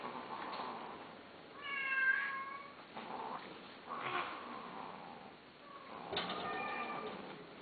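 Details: Domestic cat, offered for sale, meowing several times: a clear harmonic wail around 1.6–2.8 seconds, further shorter meows near 3, 4 and 6 seconds, in a quiet indoor setting.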